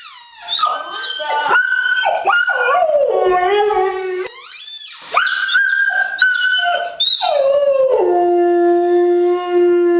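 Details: Pet dog howling, described by its owner as a wolf: long harmonic howls that slide up and down in pitch, overlapping voices with short yips and whines between them, ending on a steady low drawn-out tone.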